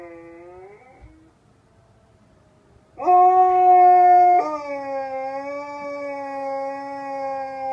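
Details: A husky at a hostel in Jasper, Alberta howls in long, smooth, mournful tones, sliding down then holding steady notes, howling back and forth with a second husky in the morning.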